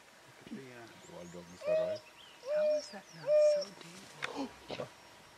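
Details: An African wild dog in the Timbavati, South Africa, gives a series of tonal, harmonic contact calls that rise and fall, near a black-backed jackal it chases off.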